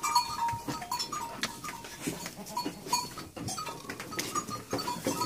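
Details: Goats calling on a farm while two are milked to feed a motherless lamb by bottle; frequent short, shaky bleats from several animals overlap, broken by sharp clacks and shuffling noise.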